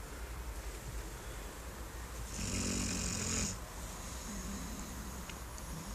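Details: Duke-Emil, a brown six-month-old Labrador weighing 21 kg, snores while curled up on a garden chair: one rasping snore of about a second with a hissing edge, between quieter breaths.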